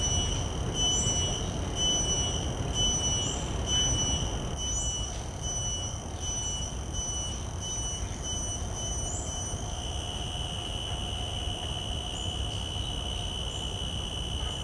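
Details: Shrill pulsing of a common cicada, recorded in the field with shotgun microphones, beats evenly for about ten seconds, then settles into a steadier, unbroken high whine over a low rumble.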